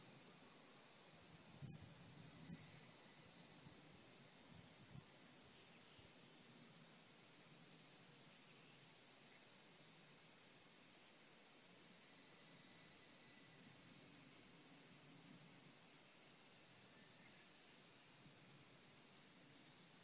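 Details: A mountain chorus of assorted cicadas, including higurashi: an intense, uniform high buzz dominates the entire recording, with one faint click and a few muffled low sounds near the beginning.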